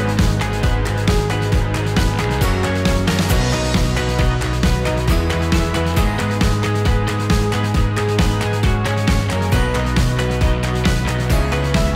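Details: Energetic rock soundtrack with steady beat and bass fills the whole stretch, no animal sound.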